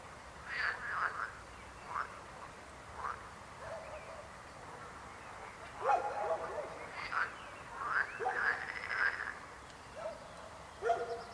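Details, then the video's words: Several frogs croak in irregular rasping bursts, some clustered and overlapping, others single, with brief pauses between groups of calls. "Rechot żab. Croaking frog sound."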